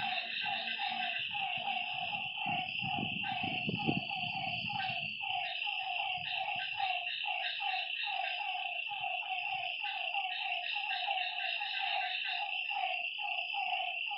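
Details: Lakeside frogs at night in full chorus: rapid, overlapping clipped croaks running continuously, with a loud unbroken insect whine above and some low thuds early on.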